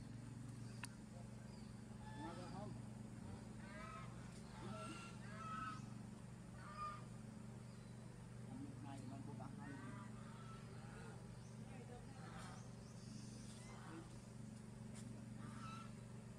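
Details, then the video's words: Young monkey Sovana crying and shaking her body because she does not want to be bathed: a run of short, wavering, whiny cries in bursts every second or two, over a steady low hum and some background talk. "Monkey Sovana Crying Shaking Body Cuz Doesn't Want Papa Lin to Take A Bath For Her"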